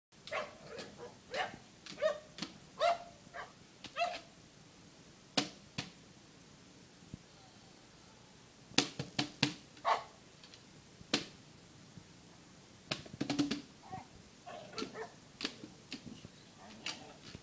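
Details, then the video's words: Boxer dog playing excitedly with a frisbee: short, sharp barks and yelps scattered irregularly, some in quick clusters, with quieter whines and gaps of near silence between bursts. "Rex the boxer going crazy with the Frisbee"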